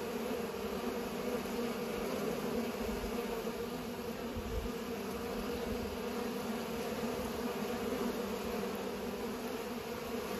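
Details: Bees at work pollinating, their buzzing a dense, level hum with layered overtones, holding steady throughout with faint low background rumble.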